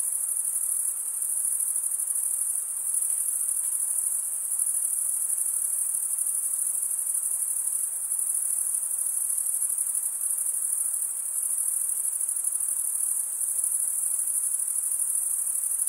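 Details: Chirping crickets, the males stridulating by running one wing's toothed vein across the other, form a dense, unbroken, very high-pitched shimmering trill that holds steady throughout with no other sounds.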